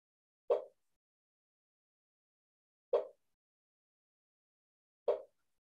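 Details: A ground-dwelling striped marsh frog (Limnodynastes peronii), often found by gardeners, gives short, hollow 'tok' knocks about every two seconds. The odd call is likened to a clucking chicken.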